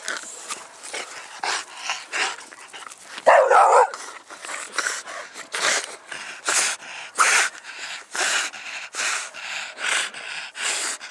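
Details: Dog from a mastiff-type family of English bulldog, bull terrier and American bully, panting in quick rhythmic breaths, short broadband puffs repeating about twice a second, with one louder rasping burst near the middle.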